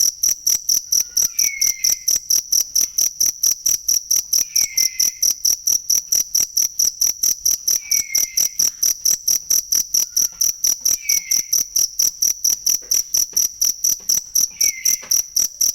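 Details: Real cricket sound used to teach songbirds: an unbroken series of sharp, high-pitched chirps, evenly spaced and quick, while soft downward-sliding whistles appear faintly every few seconds behind it.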